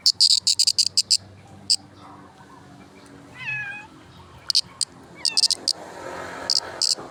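A cricket gives clusters of sharp, high chirps, pausing between bursts.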